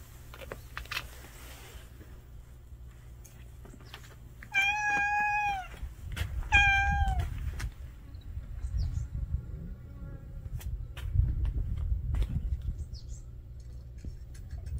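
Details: A family of street cats gathered at a meal: two drawn-out, bending meows a second or so apart, each loud and clear, with low rumbling background noise and scattered clicks.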